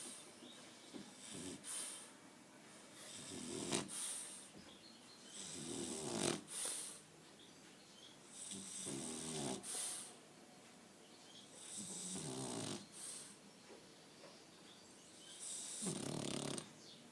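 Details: Aquiles, a French Bulldog, snoring while asleep: rhythmic, raspy, rattling snores swell and fade roughly every two to three seconds, each a noisy breath cycle, with quiet gaps between and no other sounds.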